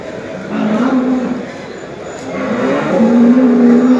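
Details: Hallikar cattle at the Chintamani cattle market on 22 November 2020, bulls and cows gathered for sale; two drawn-out, steady low moos, the second longer and louder, over a constant murmur of crowd chatter and market noise.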